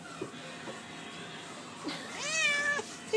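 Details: Hungry pet cat giving a single drawn-out meow that rises and then slides down, preceded by soft background sounds and a person asking the cats whether they are hungry.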